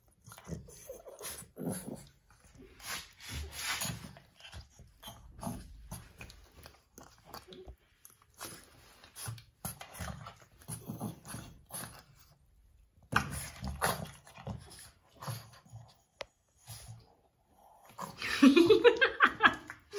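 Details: Two Boston Terriers scuffling and fighting indoors, with choppy growls and snorts in short bursts. A rising, wavering whine at the very end stands out above the scuffle.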